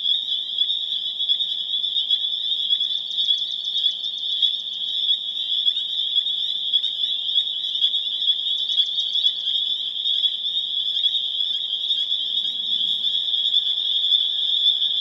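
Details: Spring peepers calling in a massed chorus in Harvard, Massachusetts on April 27, 2011; an unbroken wall of high, shrill peeps, overlaid around the middle by short bursts of rapid trilling, and a low rumble near the end.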